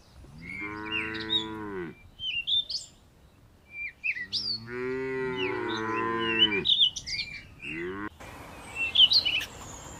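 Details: Cow mooing twice in long, harmonic-rich calls, the second wavering in pitch, with a short third call and busy bird chirping around and between them.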